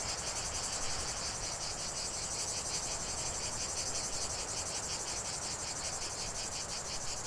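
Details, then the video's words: Cicadas in chorus, a dense continuous high buzzing drone with a fast pulsing rhythm of roughly three beats per second, steady and unbroken throughout. "45 min de chant des cigales"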